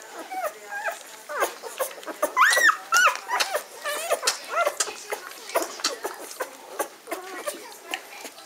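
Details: Newborn-litter Magyar Vizsla puppies (B litter, May 2015) squealing indoors: a sharp high arched squeal near the middle stands out among rapid, pulsing whimpers and short peeps in an uneven rhythm, with murmured talk beneath.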